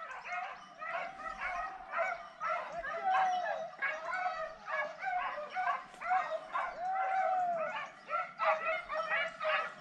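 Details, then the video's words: Hunting dogs giving tongue during a montería wild boar hunt: many voices overlap in a continuous chorus of yelping barks and drawn-out bays, rising and falling without a break. "¡Ahí va la ladra!"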